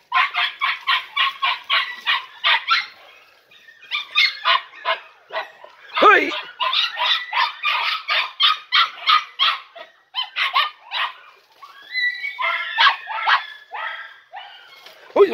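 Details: Young Podenco Andaluz litter, 3.5 months old, excitedly yapping during their first session in the picadero: dense, fast runs of shrill barks from several puppies, with short breaks and one drawn-out squeal near the middle.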